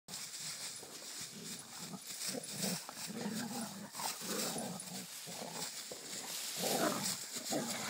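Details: Rhodesian Ridgeback father and son play fighting, joined by a black dog friend; rough overlapping growls and snarling grunts, uneven and continuous, with scuffling noise throughout.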